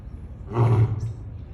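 An African lion gives a brief, deep, rumbling roar with a rough, snarling edge.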